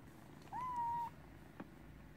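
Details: A kitten's single drawn-out meow, level and pure, lasting about half a second against a quiet low background hum, followed by a faint click.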